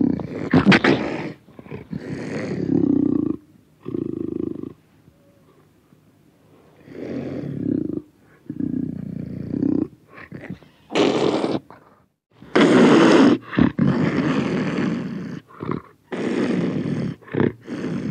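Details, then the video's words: Close-up panther producing broken rumbling growls early on, a near-silent stretch, then louder harsh roaring bursts with hissy edges in the second half. "Panther, close, growls, roars"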